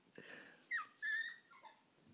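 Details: French bulldog indoors, eager and excited, trying and failing to climb onto a bed: a few soft, high squeaky whimpers, one sliding downward, then a longer level whine, with faint breathing between.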